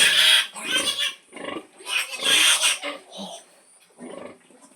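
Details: Pig at feeding time, a mother calling her piglets to feed: five harsh, broadband squealing bursts of about half a second each, separated by short gaps, the last ones fainter.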